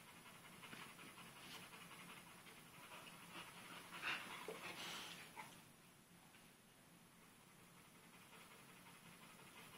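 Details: Panting from Dixie, a young pit bull pup at play with a sock while two grown pit bulls are nearby: quick airy breaths repeating almost three times a second, briefly louder and rougher midway before easing back.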